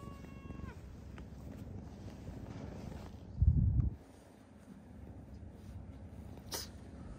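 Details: Kitten rescued from eastern Saitama, Japan, in June 2024, indoors with its sister cat: one short, level, tonal meow at the start, then a loud low thump, scuffling and household noise.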